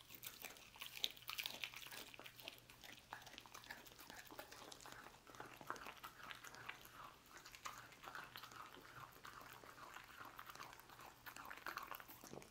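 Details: Roast beef being eaten by a dog in a small room: continuous rapid smacking and gnawing, with dense clicky bites packed closely throughout and a faint steady hum behind.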